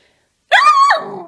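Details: A female Miniature Schnauzer puppy, scolded for chewing up scissors and a comb, talks back with a single high, yelping bark that holds steady, then drops into a rough trailing growl.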